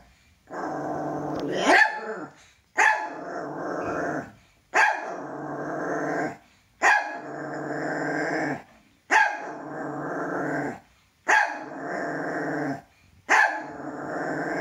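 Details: Pet toy poodle, said to be afraid of its own shadow, giving long rough growling sounds of about two seconds each, repeated after short silent gaps in an indoor setting.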